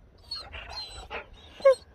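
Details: Husky greeted on its birthday gives a short run of soft whimpering, whining vocal sounds, ending in a brief higher tonal squeak, with a woman's voice saying hello close by.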